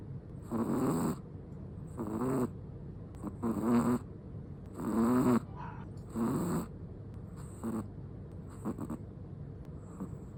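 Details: Snoring from a sleeping Chihuahua: a string of breathy, vibrating snores, about eight in ten seconds, alternating between louder rattling breaths and fainter short ones, in quiet indoor surroundings.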